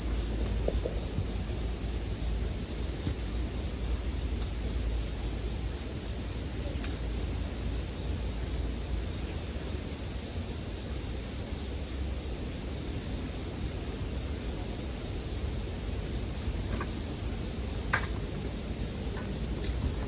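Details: Bell crickets keep up an even, piercing ringing tone for the full stretch, while a campfire crackles underneath and throws out several sharp snaps late on, arranged as relaxing sleep ambience.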